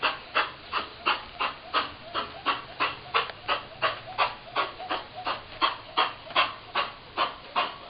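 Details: Chihuahua x Miniature Pinscher named Mickey, a rescued shelter foster dog with kennel cough, winter 2010: a long run of rough, evenly spaced honking coughs, roughly three each second, without pause.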